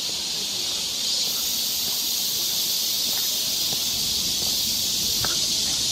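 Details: Cicadas along a forest trail in Seoul, Korea, in summer: a steady, dense high-pitched hissing drone, unbroken and level throughout, with faint scattered clicks and rustles beneath.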